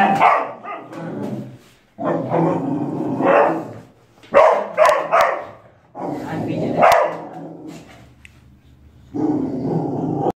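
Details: Dog barking while protecting a child: several loud, rough barks in bursts with pauses between, mixed with a voice and some growly tone, background noise at the end.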